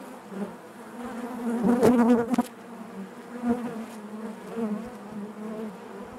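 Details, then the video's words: Honey bees buzzing inside their hive: a dense, steady hum with a low fundamental and stacked overtones, swelling into a louder surge near the two-second mark before settling back to an even drone. "bees therapy hive natural buzzing sound"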